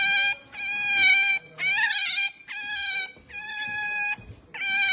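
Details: Pet otter making noise when her male owner tries to touch her: a series of bright, high squeaks, each about half a second long and repeated roughly every second.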